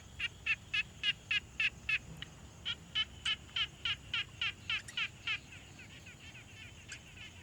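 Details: Frog calling at a quiet pond, field-recorded on a Tascam Portacapture X6: a fast series of short, regular pulsed notes, about three or four per second, in bursts with brief pauses, over faint background hiss.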